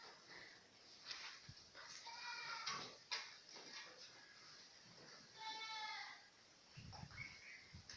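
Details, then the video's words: Galla goat kids bleating, with wavering, nasal bleats around two and five and a half seconds and faint shorter calls between, over a low background hum and some distant voices. "Mbega utwana twihene twiza irebere nawe!! ubu bwoko babwita Galla goat."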